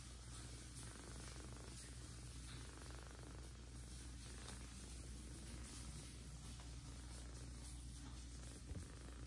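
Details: Nursing mother cat Jaco with Kira, an older adopted kitten, at her milk; an even, unbroken low purr fills the recording, overlaid by light hiss and soft handling noises.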